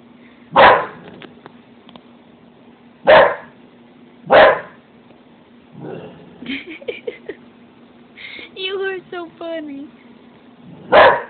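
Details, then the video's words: Pet dog barking at her own reflection in a stove: loud, sharp single barks spaced a second or more apart, with a woman's voice and high, warbling whines between them, and a steady low hum behind. "barking at her reflection in the stove"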